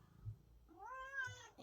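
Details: Domestic cat giving a single drawn-out meow that sounds like saying "no", rising then falling with rich harmonics, indoors, preceded by a low thump.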